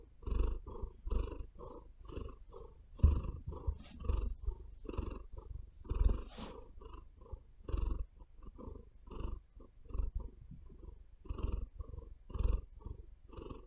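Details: Female pet cat purring close up on a bed, a steady low rumbling throb that pulses with each breath about twice a second, with occasional sharper scratchy clicks from her claws kneading into the bedding.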